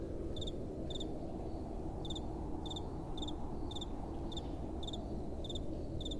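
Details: Night cricket song: sharp, high chirps in pairs of pulses recur about every half second, slightly uneven in timing, set against a broad, soft rush of wind.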